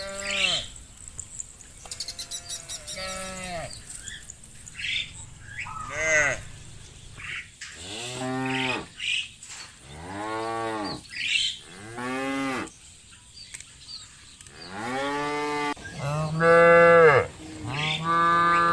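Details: A herd of cattle grazing in open fields moos repeatedly, long, rich, arching bellows overlapping from several animals, cows calling to companions.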